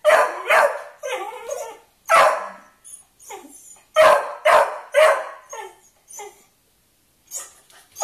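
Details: A Beagle barking indoors while wanting to play with a Kerry Blue Terrier: loud, rough barks and yips in quick irregular bursts, about two per second, with short pauses between groups.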